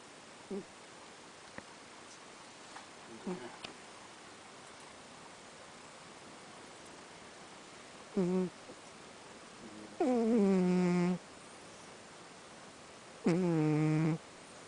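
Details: Miko, a house cat adopted from the Ibaraki animal protection center via NPO ALMA, snoring heavily through her nose: three drawn-out, nasal, tonal snores of about a second each near eight, ten and thirteen seconds, after a few faint shorter snorts in a quiet room.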